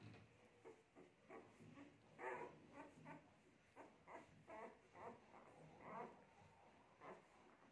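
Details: Tibetan Mastiff mother giving birth to ten puppies; soft repeated whimpering and yelping in short bursts about every half second, faint and fairly quiet throughout.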